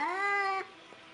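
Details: A scared domestic cat gives one sustained meow lasting just over half a second, steady in pitch with rich overtones, then stops abruptly into near silence.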